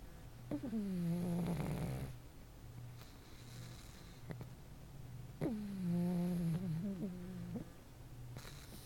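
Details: Pug snoring in sleep: two long wheezy, whistling snores that fall in pitch and end in a brief rattle, separated by a few seconds of soft breathing over a low background hum.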